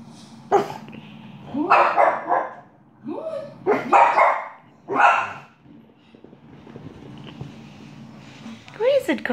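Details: Pet dog indoors barking while watching television: short, sharp, broadband barks in loose bursts of two or three, spaced over several seconds, with a woman's voice talking between them.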